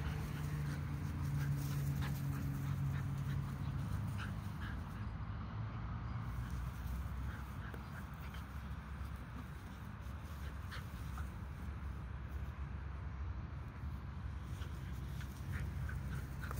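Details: Bull Terrier puppy at play, giving steady low rumbling, growl-like sound throughout with faint, short squeaky notes scattered across the recording.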